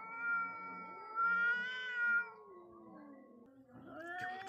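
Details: Two wild cats face off, one holding a long, steady, nasal yowl that swells twice, then slides down into a lower, grumbling moan before a rising cry starts at the end.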